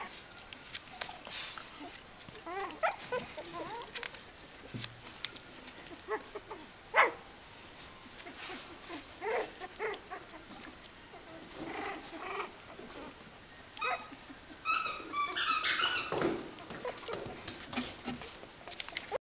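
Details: Three-week-old Kooikerhondje puppies from an H litter give scattered high, thin whines and squeaks in short rising-and-falling arcs, some overlapping, with a denser burst of squealing near the end over soft background rustling.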